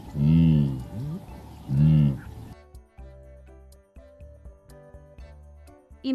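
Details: A blue wildebeest gives two loud, low, nasal grunting calls about a second and a half apart, followed by soft background music.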